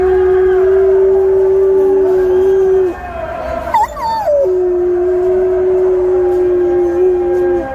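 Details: Dog howling in response to hearing the call to prayer: a long, steady, sustained tone held for about three seconds, a brief rising and falling wavering note, then another long flat held note.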